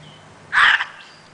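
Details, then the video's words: Gray fox, a female, barks at the filmer at dusk, recorded 5 18 09. One abrupt scratchy bark, rough and hoarse, cuts through a hushed evening before silence returns. "The Gray Foxes Nightbarking"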